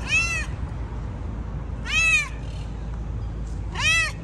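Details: Chatty tabby yard cat in a city meowing three times, clear arched meows roughly two seconds apart, each rising then falling, over a constant low background hum.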